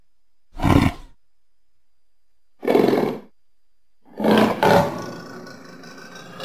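Three harsh, throaty roars from a leopard come roughly every two seconds, each a short rasping burst. The last call trails into a lower rumble with faint background hiss.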